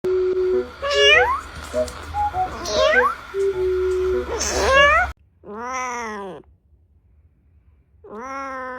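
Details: Domestic cat meowing: first several rising, squeaky meows over a steady musical tone and background hum, then two clear, drawn-out, slightly falling meows with rich harmonics in near silence.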